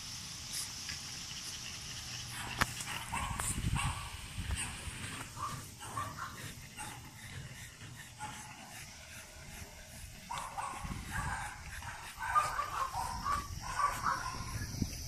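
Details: French Bulldogs born on 21 and 23 June 2017, heard indoors giving irregular whimpers and short soft yelps, the bursts coming and going over rustling and handling noise, busier toward the end.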